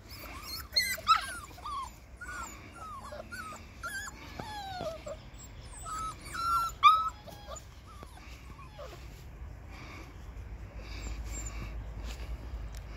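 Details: Six-week-old Labrador Retriever puppies exploring, giving high, thin whimpers and short yips in scattered bursts, loudest in the first seven seconds, then fading into a quieter stretch with steady background hiss.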